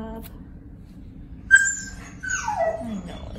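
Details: Noah, a tan-and-white male mastiff/pit bull cross aged five, lets out a brief high whistle-like note, then a falling, layered whine that drops steadily in pitch over about a second, indoors with low background hum.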